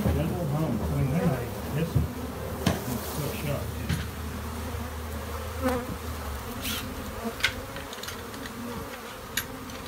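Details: Droning of many honey bees inside a shed: a constant low hum under a deeper mechanical tone that fades out partway, with scattered knocks and taps.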